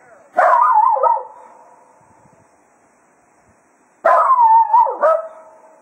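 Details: Farewell serenade to the hounds by Cato, a Jack Russell Terrier, at the end of a foxhunting day at Quail Roost: two warbling howls about three and a half seconds apart, each wavering in pitch before dipping and trailing off.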